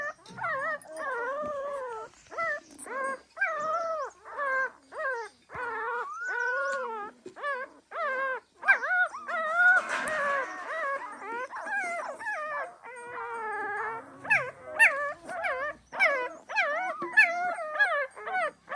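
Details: Pahadi dog mother watching over her puppies: a continuous run of wavering, whining whimpers and short howl-like cries, overlapping and repeated rapidly, with a brief noisy burst midway.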